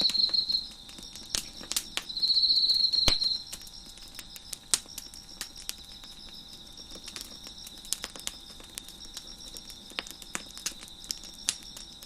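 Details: Cricket chorus behind a fire crackling on a deck. Short loud buzzy trills open the clip, then a steady high-pitched ringing continues underneath dense, irregular snapping and popping of the flames.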